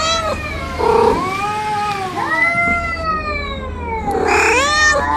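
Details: Cats arguing: long, wavering, tonal yowls that bend up and down in pitch, one drawn-out moan answered by a sharper, rising wail near the end, over a low steady hum.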